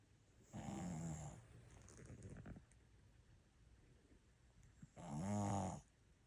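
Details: Pet dog Ttuttu sound asleep, giving two strong, rattling snores about four seconds apart, with a softer wheezy exhale between them in a quiet room.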